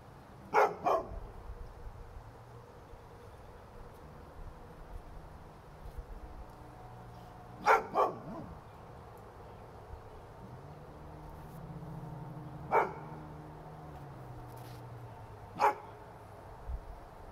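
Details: Domestic dog barking at nothing it can see, with sharp short barks given singly or in quick pairs, spaced several seconds apart, loudest early on, over a steady low indoor hum and hiss.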